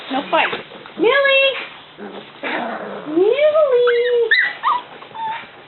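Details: Cavalier King Charles Spaniel whimpering in a house, two drawn-out rising-then-falling whines with rich overtones, followed by shorter squeaky yelps, over a person's nearby talking.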